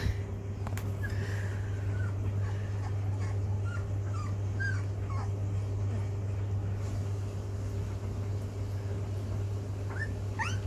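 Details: Sixteen-day-old Rhodesian Ridgeback puppies learning to walk: scattered thin whimpers and squeaky yelps through the first half, a knock near the start, then quieter, with a few rising squeals at the end; constant low hum beneath.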